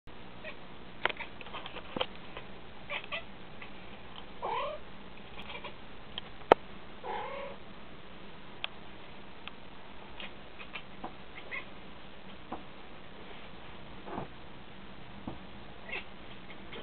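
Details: A male pet cat makes strange chattering noises at a fly, as he does every time he sees one. Short, wavering, bleating bursts and soft clicks come every second or two, with faint indoor room noise.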